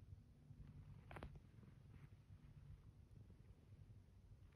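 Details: Pet cat Zeke lying in bed after the morning alarm, purring and kneading a blanket: a quiet, deep, steady purring rumble, broken briefly by a short crackle of fabric near the start.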